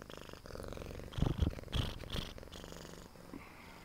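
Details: A female Siamese cat purring at home, recorded 27 September 2011: a low steady rumble that swells in a few louder pulses.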